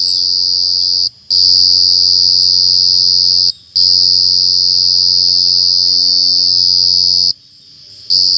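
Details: A steady, piercing high trill from a cricket that breaks off briefly three times, near the one-, three-and-a-half- and seven-second marks, then resumes at full strength.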